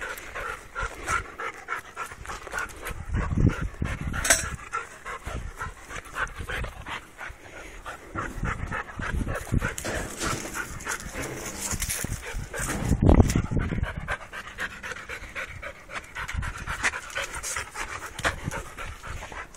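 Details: Fast, irregular breathy panting from a restless Labrador Retriever over about twenty seconds, mostly soft, with one louder rough burst near the middle.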